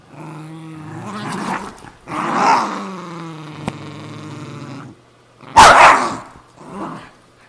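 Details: Pet Cairn Terrier and Jack Russell Terrier squabbling over an old golf glove; close, harsh growls and snarls mixed with a loud sharp bark-like burst near the end, plus a short click.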